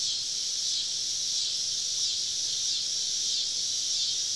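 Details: Cicadas singing all around a camping spot deep in the woods on a southern summer evening; an unbroken high-pitched electric hiss, even in loudness, with gentle wavering pulses.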